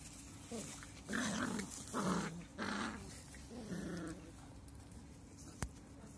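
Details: Seven-week-old English Cocker Spaniel puppies, recorded on 28 August 2021, give a run of short, rough growling yaps with breathy grunts between.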